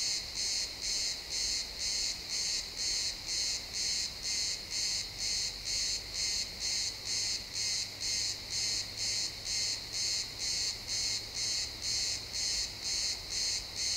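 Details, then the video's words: Pine forest at sunset with chirping crickets in realtime stereo: a long run of bright, high trilling pulses repeating roughly twice a second with machine-like regularity against soft ambient woods hiss. "Cricket sounds in the pine forest"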